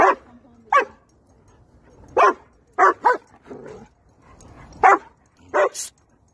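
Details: German Shepherd meeting friends at a playground, happy; short sharp barks in irregular bursts, about eight across six seconds, some in quick pairs, with quiet gaps between.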